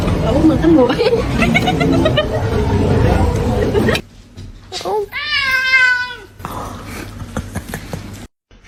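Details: Crying kitten: four seconds of excited human chatter over household noise, then one long, clear meow that rises and then falls, followed by softer room sounds.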